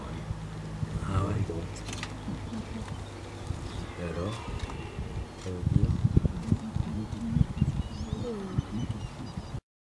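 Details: A red deer stag bellows during the autumn rut in the forest of Fontainebleau, France, in 2018: deep, throaty groans with rich low harmonics, rising and falling in uneven drawn-out and short grunting bursts over a quiet woodland background.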